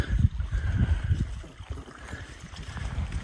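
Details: Low rumbling wind-like noise with dull thuds and rustling outdoors in the snow; no animal calls are heard.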